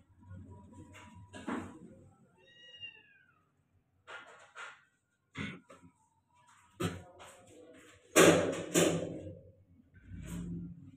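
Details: ['Persian cat giving a short, high, falling meow with clear harmonics near the third second, amid sharp knocks, thumps and handling noises, with a louder burst of clatter later.']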